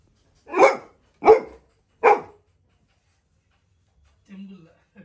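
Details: A Labrador Retriever puppy gives three loud, sharp barks in quick succession, less than a second apart, bursting a balloon with his barking.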